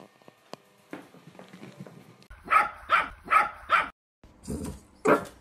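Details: Playful miniature dachshund puppy indoors in a small room, giving a run of four quick, sharp barks about every half second, a pause, then one more bark, after softer rustling and faint whimpery sounds.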